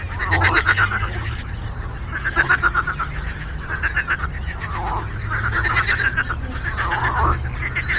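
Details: A lakeside frog chorus, repeated bursts of fast, rattling croaks from several callers overlapping, rising and fading every second or two, over low background hum.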